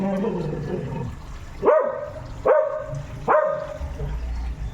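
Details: A noisy dog named Tomy barks three times at roughly even intervals, each bark short and sharp with a brief trailing tone, after a stretch of quiet human speech at the start.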